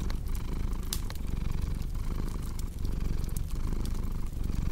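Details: Purring cat: a deep, continuous rumble pulsing with each breath, joined by bright crackles and pops from a burning fireplace.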